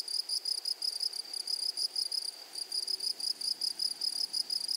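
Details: Grasshoppers in a flowery meadow give a high, shrill buzzing, pulsed in quick bursts about five times per second, with a fainter overtone above; no other clear sounds.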